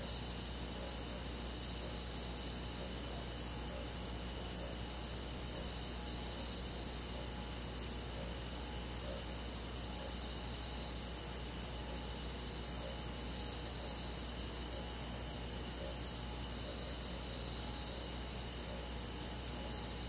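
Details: Crickets and other insects of a rural forest on a summer night, dense overlapping high trills in steady bands, soft pulsing beats repeating throughout, low hum underneath.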